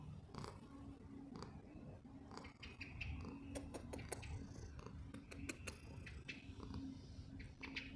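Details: Deep, even purring from Poofy, a domestic cat, with sharp clicking and rustling bursts and a constant faint background hum.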